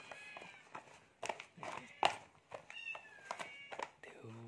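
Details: Cat being fed, giving a short high, thin meow amid clinking feeding dishes and scraping, with a low voice speaking at the end.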